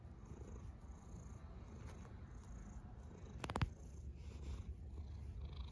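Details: Soft, continuous low rumble from a snoring cat, quiet and even throughout, with a brief sharp click just past the middle.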